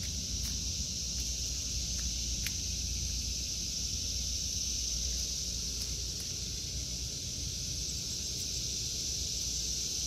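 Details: Cicadas singing in a vegetable garden in August 2023: a steady, unbroken high-pitched buzzing drone holds the whole time, over a soft low outdoor rumble and a few faint clicks.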